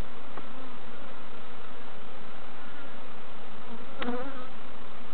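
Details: Bees at an opened hive during an inspection by novice keepers at Summerwood Lane Allotments and Community Garden; a steady low hum with faint tonal lines, broken by a sharp click near four seconds.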